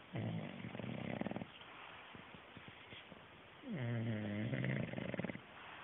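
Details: Otis, an English Bulldog, snoring while knocked out asleep: low rumbling snores with a nasal harmonic rise, two long drawn breaths separated by quieter clicking breathing.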